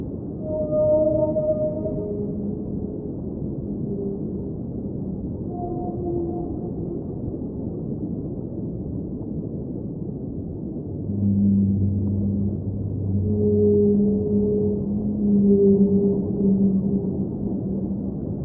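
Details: Singing whale underwater, opening with a few high and mid moans, going quieter into a continuous underwater rumble, then ending with a long run of low, sustained hum-like tones layered together.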